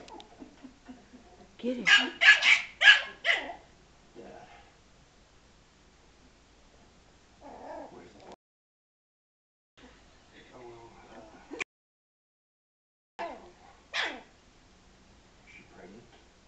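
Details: Frankie, a Yorkshire Terrier provoked by a ball that hit him, lets out a quick burst of five or six shrill barks, then scattered single yaps and quiet gaps, with a brief human voice.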